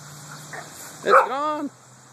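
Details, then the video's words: Pet dog on a hot August day, walking in a cemetery and barking at passing cars and trucks; one short sharp bark followed by a longer drawn-out harmonic yelp, with faint traffic hum behind. "Dog barking in Cemetery"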